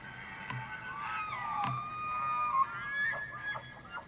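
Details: Several elk rutting on the evening of September 24, 2024 at the Slippery Ann Elk Viewing Area, Charles M. Russell National Wildlife Refuge, Montana; overlapping high whistled bugles slide and waver, with deep grunting pulses between them.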